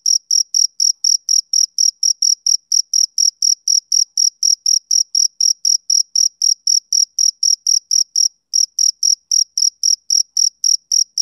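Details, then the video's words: Rhythmic chirping of a male cricket on a summer evening, sharp high-pitched pulses repeating about four times a second with one brief pause near the end; nothing else audible. "Cricket Chirping Sound Effect"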